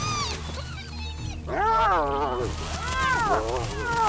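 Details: Wild spotted hyenas, a clan of 12 on the Liuwa Plains of western Zambia, squabble over a tiny antelope after almost a week without food; harmonic, arching whining squeals rise and fall in bursts over a low musical drone.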